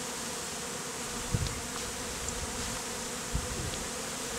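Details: Honey bees clustered as a bee beard on a man's face in the heat, the same colony hived out of a statue; a steady, dense droning hum holds throughout, broken by a few soft low thumps.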